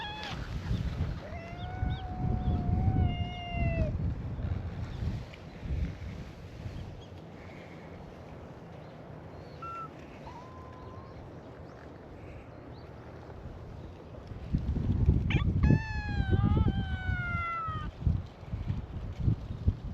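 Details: Stray cats at a cat gathering on a cat island greet a visitor with a chorus of cute calls. Drawn-out harmonic meows come early, then a quiet stretch, then a second burst of several overlapping meows. Outdoor rumble runs underneath.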